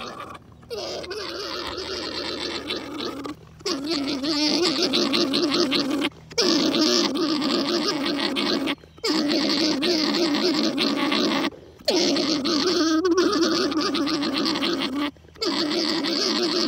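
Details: Alpaca mating call during breeding, as Mountain Man breeds Nova Khan: a loud, continuous throaty gargling drone in long bursts, broken every two to three seconds by brief silent pauses, with a faint steady hum beneath.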